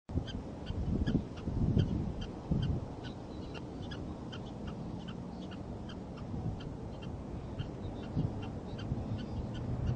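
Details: Prairie dog defending its nest, barking up a storm: short sharp chirping barks repeated in a rapid, somewhat uneven series, over a low steady rumble of background noise.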